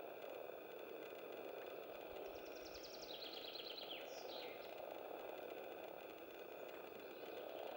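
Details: Common frogs (Rana temporaria) in Lindulovskaya Grove, Leningrad Oblast, Russia, on 25 April 2015: a steady low purring chorus hums throughout, while a few high, quick bird twitters cut in around the third and fourth seconds.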